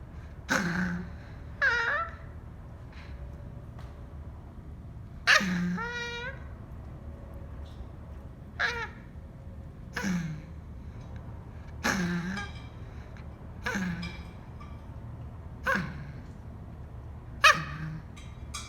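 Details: A Cavalier King Charles Spaniel whines in short, high, falling bursts while half yawning, pleading to be let out of his cage at bedtime.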